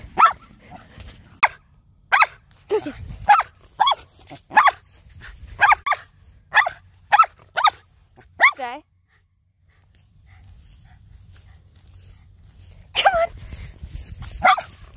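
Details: A Shetland Sheepdog during exercise barks in a fast run of sharp repeated yelps, then a whining bark, a quiet pause, and a few more barks, with a person speaking between.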